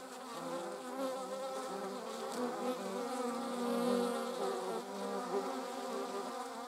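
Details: Flight buzz of bees and a wasp recorded on 26 July 2019, a continuous humming drone with several wavering pitches that overlap and briefly rise in loudness near the middle.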